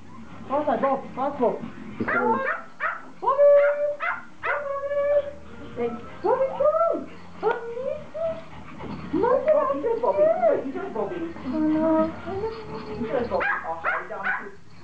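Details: Excited Pomeranians welcoming their owner home after a vacation, giving a steady stream of high, bending whines and short yelps, with a woman speaking over them throughout.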